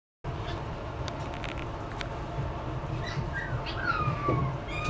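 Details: Poodle-Maltese mix puppy giving thin, high whines in the second half, one long call sliding steadily downward at the end, over a constant low rumble and a few soft clicks.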